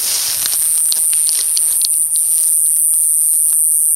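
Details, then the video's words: A buzzing katydid, possibly Pseudorhynchus lessonii (ID unconfirmed), found 4/9/20 in the Coffs Harbour region, NSW, Australia, gives a loud, steady, very high-pitched buzz that never lets up. "🦗 Buzzing Katydid - Pseudorhynchus lessonii - PREPARE YOUR EARS..."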